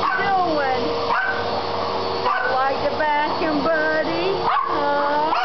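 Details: Poodles upset by a vacuum cleaner, filmed on a Kodak digital camera: repeated, excited, bending yips and whimpers throughout, layered over the loud, steady hum of the running vacuum.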